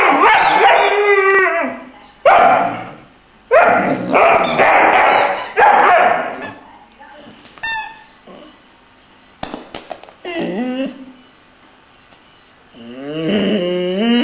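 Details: Singing by Iarla, a three-month-old Irish Wolfhound puppy: several bursts of loud, yelping howls in quick succession, then a quieter gap with small yips, ending in a rising, wavering cry.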